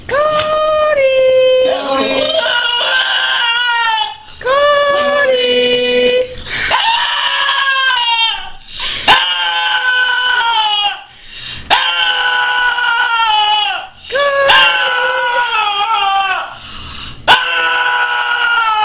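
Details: A dog vocalizing as if calling for Cody: long, sustained, wavering howl-like cries with strong tonal harmonics, some sliding and some crying in quality, broken by short pauses and a few sharp clicks.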